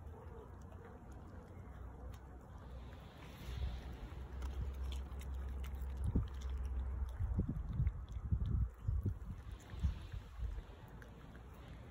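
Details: Low wind and handling rumble with soft bumps and rustles, no animal voice.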